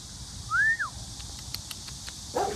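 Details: Young Tibetan Mastiff giving one high, thin whine that rises and then drops away in under half a second, with a faint short yelp near the end over a steady background hiss.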